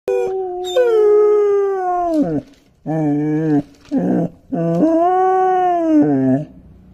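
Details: A 5-month-old long-coat German Shepherd puppy howls in long, wavering, high-pitched notes that sag and drop away at the end; its owner thinks a sound is irritating it.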